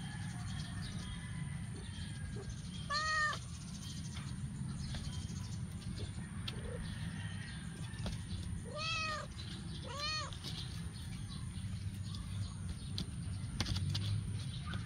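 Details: Adopted stray kittens, eight weeks old, playing in a backyard: three high, arching meows with rising-then-falling pitch, spaced several seconds apart, over a steady low outdoor rumble and a constant high whine.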